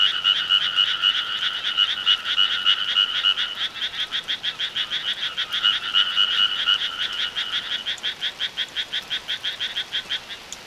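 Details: Rural summer frogs croaking in a dense chorus, fast pulsed rasps around three per second, holding steady then thinning into cleaner, separate pulses in the last few seconds.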